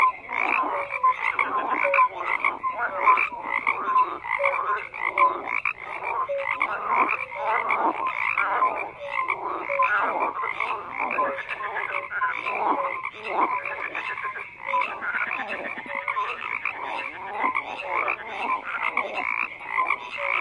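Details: Long stretch of dense frog croaking, many callers producing rapid rasping pulses that blend into an unbroken chorus, with occasional short tonal notes.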